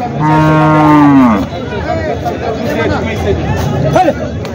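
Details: At a live buffalo market in Jawla, Parbhani, a water buffalo lets out a single drawn-out moo that sags in pitch at its end. A seller's voice and market chatter follow.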